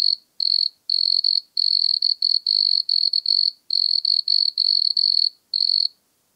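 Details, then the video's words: Song of the wood cricket at Altenberg, Austria, 9 August 2022: high purring trills broken into uneven bursts of about a third of a second, separated by short gaps, ending in silence. "Nemobius sylvestris -- Waldgrille -- Wood Cricket"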